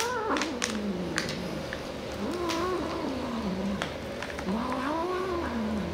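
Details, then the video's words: Cat reacting to edible toys, giving repeated sliding meows that rise and fall, several wavering calls over about six seconds, while a woman talks to it with repeated short words and a few clicks sound in the background. "19 cats react to edible toys"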